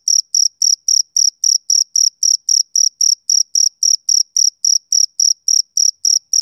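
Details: A male cricket keeps up a steady high trill on a summer evening, short shrill chirps about three and a half per second with no background noise.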